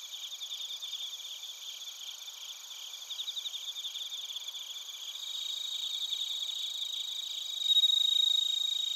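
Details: An insect chorus of bell crickets and crickets from Narita, Chiba, Japan, captured with a TASCAM Portacapture X8. Fast, steady chirp pulses repeat several times a second under a high ringing trill. The chorus swells louder toward the end.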